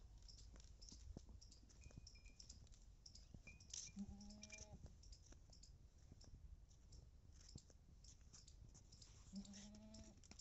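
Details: Beetal goat, a 4.5-month-pregnant female from Punjab, bleats twice, about five seconds apart, in short quavering cries over low rumbling noise, with brief high chirps in between.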